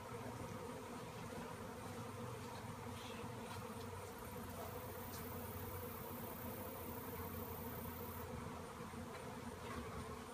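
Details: Swirling swarm of honeybees after a tree cutout; continuous thick droning hum with even, stacked tones and no pauses, a faint hiss in the background.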